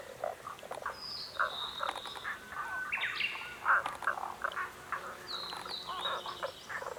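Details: Frogs calling, a crowd of short croaking pulses overlapping in a steady chorus, with thin whistled bird notes sliding across above them.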